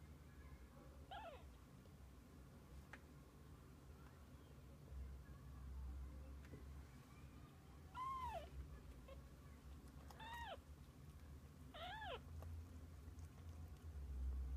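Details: Domestic cat, among kittens and their mother: one faint meow early, then three stronger downward-curving meows near the end, roughly two seconds apart, over low rumbling background noise.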